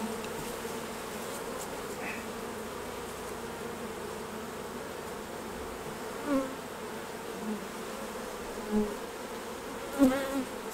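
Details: Soft, low hum of honey bees while the beekeeper removes honey from the hives, a quiet even drone broken by a few sharp knocks and clicks of equipment.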